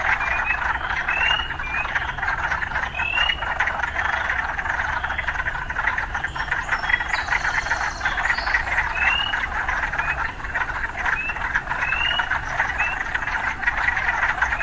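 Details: Urban frogs in full chorus, a continuous rattling wall of croaks with short upward-sliding whistled notes scattered every second or two, over a faint low background hum.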